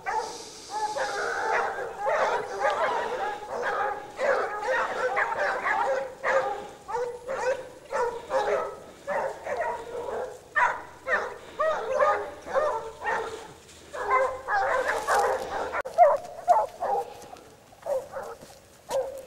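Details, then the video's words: A pack of Basset Hounds from the French Rallye de l'Allagnon kennel in full cry on a scent trail, with overlapping, continuous ringing bays about twice a second, some higher yelps mixed in and a faint low hum in the background. "Basset Hound siguiendo rastros"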